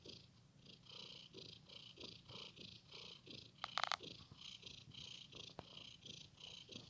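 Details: Domestic cat having fun with a blanket, purring steadily in even pulses about twice a second, with a brief scratchy rustle midway and a single tap shortly after.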